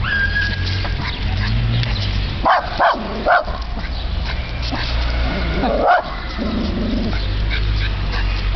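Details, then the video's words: Tess, a dog that dislikes trash bags, barking at one. Three or four sharp, abrupt barks come in a quick cluster, then a single bark a few seconds later, over a steady low humming background. "Tess barking at a trash bag"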